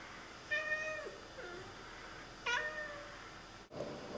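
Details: Oriental Siamese cats indoors, chattering and talking to birds outside: two clipped harmonic chirps a couple of seconds apart, each sliding downward, followed by a brief thump and a woman's voice.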